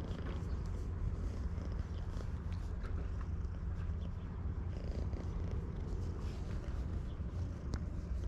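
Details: Stray community cat living at a fishing port, filmed on a GoPro HERO8 Black, purring in a steady low rumbling throb that runs through the whole stretch, with scattered faint clicks and outdoor background noise.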